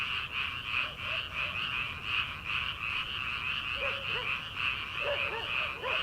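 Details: Frogs calling in rice paddies at the start of summer, before rice planting, late at night: a dense, continuous chorus of rapid pulsed croaks that swells and fades in waves about every second, with a few lower single calls beneath.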